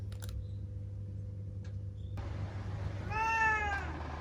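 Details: Single drawn-out meow from Ciel, a seven-year-old female black pet cat, arching slightly downward and then trailing off, heard indoors against a constant low electrical hum after a few faint clicks.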